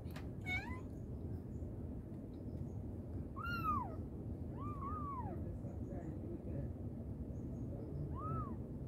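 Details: Mother cat calling her kittens: a thin high mew at the start, then three clear arched meows that rise and fall, one drawn-out double meow near the middle, over a steady low background rumble.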